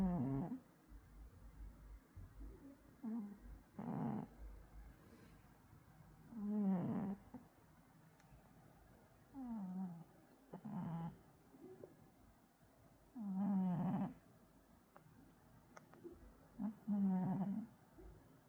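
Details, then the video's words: Sleeping cat indoors, murmuring in its sleep: soft, low, wavering moans and brief grunts repeated every few seconds, some with a breathy snore-like edge, over quiet room background. "고양이 잠꼬대일까요? 코골이일까요?"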